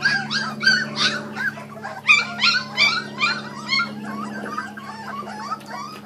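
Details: Kuvasz puppies, born 2013, squeal and whine rapidly while eating raw food, dense bright yelps crowding the first half before thinning out, with a low steady hum throughout.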